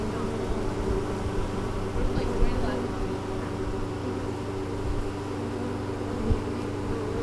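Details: Spring 2013 recording of a honey bee colony on a GoPro Hero3, just after the hive was cleaned and relocated after winter: continuous low buzzing drone with a steady pitched tone, small swells around two and six seconds.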